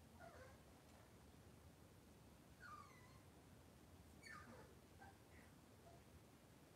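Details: Cavalier King Charles Spaniel puppies indoors on a kitchen camera, cloudy Monday morning; faint high squeaky whines sliding downward, several in quick bursts spread over a few seconds, against a steady low room hum.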